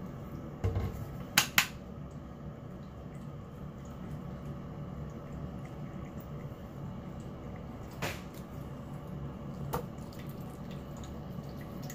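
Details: A few dish clatters and cupboard knocks sound over a low, rumbling room hum with faint liquid noise.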